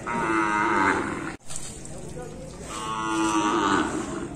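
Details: Bali cattle being bathed, giving two long harmonic moos, the first lasting about a second and a half, the second starting near the three-second mark, separated by a brief sharp drop in sound.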